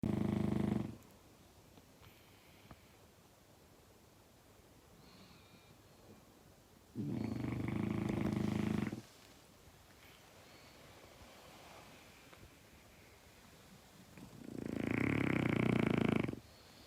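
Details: Sleeping French Bulldog snoring loudly indoors beside a person trying to nap; three long rasping snores, each about two seconds, spaced roughly seven seconds apart, with quiet breathing between.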